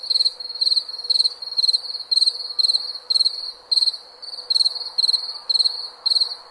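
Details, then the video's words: High, ringing cricket chirps meant for sleep: clusters of fast pulses repeating nearly twice per second, with one brief pause midway and faint background hiss. "SOM DE GRILO PARA DORMIR"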